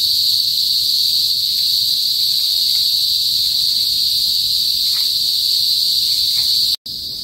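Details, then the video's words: Cicadas known locally as kuliglig, heard in the countryside of northern Philippines, usually before sunset. An unbroken, piercing, high metallic drone holds steady, cut off for an instant near the end before resuming. "TUNOG NG KULIGLIG SA PROBINSIYA | PHILIPPINES CICADAS NOISE"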